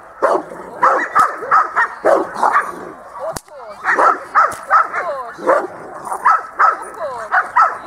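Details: Dog barking steadily at a dog school in December 2013, rapid yappy barks about three per second with a brief pause midway, a person's voice faintly mixed in.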